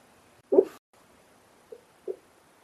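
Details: A Shar Pei gives a muffled, low whimpering yelp, then two faint short squeaks while dreaming and shaking in its sleep.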